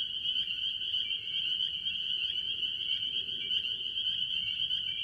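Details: Early-year chorus of various tree frogs, chiefly spring peepers, at a farm pond. Countless high peeping calls overlap into a steady piercing whine, broken by scattered lower chirping pulses, with soft low rumble underneath.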